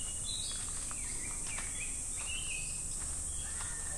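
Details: At Namegawa Shrine, Sukagawa, Fukushima, Japan, in summer, cicadas keep up a steady sizzling drone while birds add several short whistled and slurred chirps across the few seconds.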